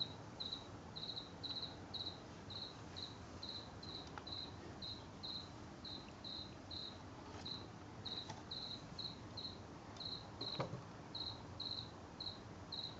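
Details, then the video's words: House cricket singing in a garden, heard from late August through September 2022: short, high, shrill chirps repeated steadily at under two per second, with a faint low background rumble. "Late Sept 2022 House Cricket"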